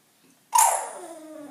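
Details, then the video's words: Bulldog seeking attention indoors: a sudden snorting burst that flows into a brief tonal whine, sliding gradually downward in pitch and trailing off. "Bulldog making sounds"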